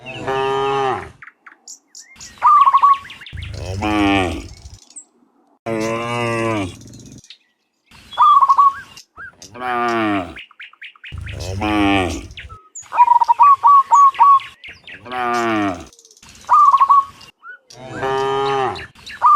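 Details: Dozens of cows herded back from the fields to the pen in the afternoon, lowing in a steady series of long, rich moos roughly every two seconds, with quick chirping bird trills between them.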